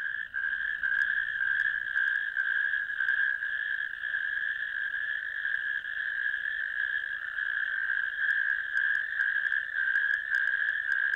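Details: Natterjack toads calling from a ditch on 1 May 2024, caught by a camera: a loud, continuous rattling trill of overlapping callers, steady throughout with a higher harmonic buzz above and no other sounds.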